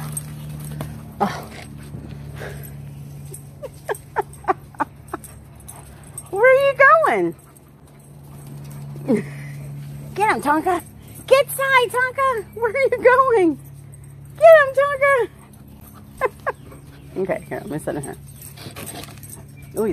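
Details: Alaskan Malamute named Tonka in a house: scattered short yips and clicks give way to several bursts of wavering, arched howl-like talking sounds, each about a second long, separated by quiet stretches over a constant low hum.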